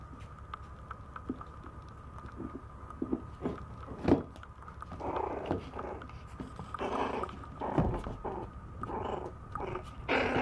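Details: A Maltese puppy indoors wrestles with a plate, giving short soft growls that grow louder and more frequent in the second half, among clattering and scraping knocks.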